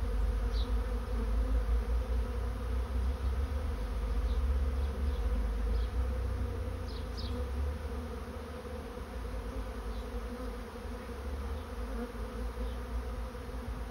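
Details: Honey bees of a swarm heading into a swarm trap produce an even, low, many-toned humming drone, slightly louder early on and easing later, with scattered quick higher buzzes from single bees darting close.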